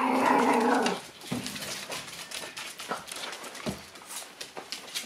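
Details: Shiba Inu indoors while digging: one long harmonic whining bark at the start, then soft scratching and scraping sounds with faint short grunts in a small room.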